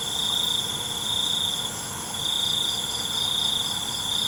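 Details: At night, crickets keep up a continuous high ringing trill that dips briefly near the middle, set within a thick, hissing wall of insect song from many callers.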